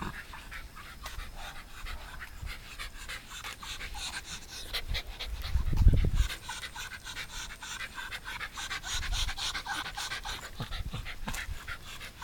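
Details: Pet Shiba Inu at home in Shizuoka, Japan, visited by a pet sitter on 30 September 2018; fast, soft panting breaths repeat steadily, with a few low thumps or handling bumps around the middle.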